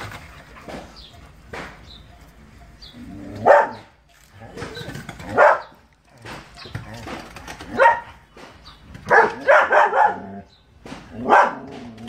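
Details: German Shepherd barking in irregular bursts, single barks and a quick cluster of three, with softer whining sounds and low background noise between them.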